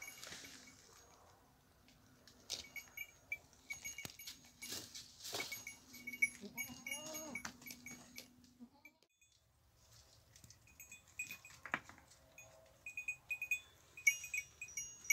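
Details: Goats out in nature: one drawn-out wavering bleat lasting a few seconds midway, amid constant clinking and clanking of cowbells and small thumps.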